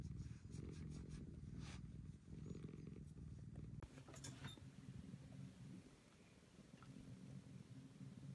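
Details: Affectionate rescued house cat Maroshiro, taken in during 2014 and moved to an upstairs cat room where it acts like a kitten again, purring indoors: a steady low rumble throughout, with scattered clicks and rustling.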